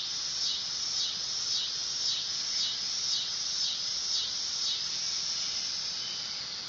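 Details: Summer drone of the dog-day cicada, Neotibicen canicularis: an unbroken shrill buzz with regular wavering dips about every half second, steady in loudness throughout.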